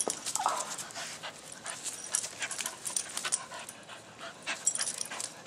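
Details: Bella the blue Staffy, a female Staffordshire Bull Terrier, with her Kong Wubba toys at Halloween; fast airy panting breaths run throughout in a continuous hiss-like rhythm.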